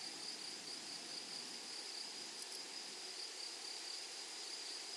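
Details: Grasshoppers in a flowery meadow keep up an even, high-pitched sizzling whine, faint and unbroken, over gentle outdoor ambience.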